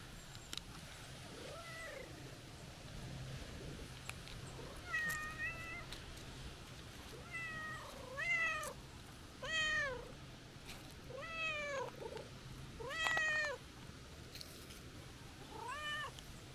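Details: Calico cat, a stray met on a walk, meowing as the visitor tries to leave; about eight rising-falling meows, some short and some drawn out, coming in bursts over sixteen seconds against a low steady background hum.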